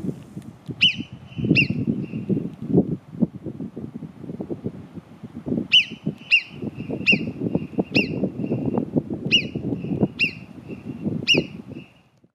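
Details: Marmots at Cogne, below Arpisson: sharp, high whistles with a quick downward slur. Two come early, then a run of six at roughly one-second gaps, over a steady low rumble of wind or handling noise.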